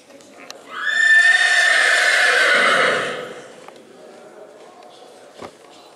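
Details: Black Forest draught horse mare, nine years old, at a breed show in St. Märgen, Germany, in October, gives one loud harmonic whinny of about two seconds that falls away at the end, followed by a faint knock and quiet background.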